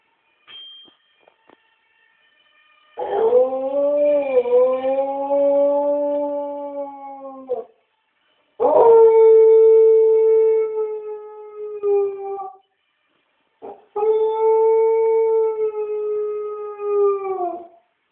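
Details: A pet dog howls from a window: three long sustained howls of about four to five seconds each, steady and slightly falling at the ends, separated by short pauses, with a brief yip before the first.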